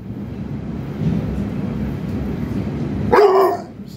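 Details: Indoor French Bulldog arguing with its owner: after three seconds of muffled low rumble, one sharp, tonal bark that drops slightly in pitch and fades quickly.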